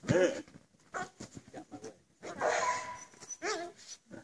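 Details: Belgian Malinois named Nitro during bite suit running attack training. Short, high, arching whine-yelps open the clip and return near the end, with a run of sharp, clipped barks and a thin steady tone in between.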